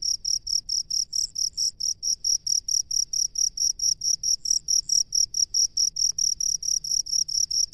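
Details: From a rice paddy, a cricket gives a fast run of sharp, high chirps, closely spaced and steady throughout, with a faint second high chirping voice now and then and a quiet low background.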